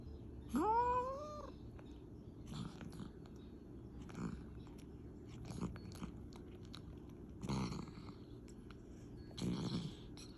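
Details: Domestic cat asleep, snoring and talking in his sleep: a short whiny meow-like murmur rising then falling opens the recording, followed by soft raspy snoring breaths repeating about every one and a half to two seconds.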